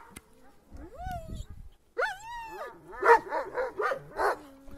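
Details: Kangal dogs on the attack, giving drawn-out rising and falling whining cries that give way to a quick run of five harsh barks, with a faint human voice in the background.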